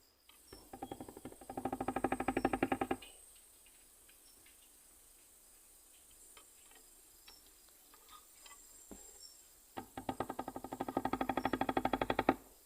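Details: A katydid, Nesonotus reticulatus, an island species of Guadeloupe, gives two bursts of rapid, dry ticking pulses that swell in loudness before stopping abruptly.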